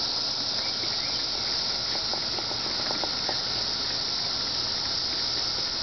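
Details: Cicada droning in one steady, bright, hiss-like buzz without pause, with faint ticking clicks scattered through the middle.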